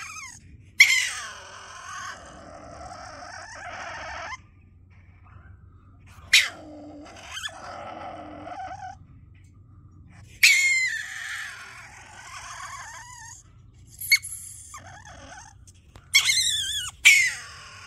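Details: A stone marten recorded at very close range, likely near a hideout beside people's homes, gives rarely heard, "demonic" harsh screeching squeals and chatters in bursts, with quiet pauses between.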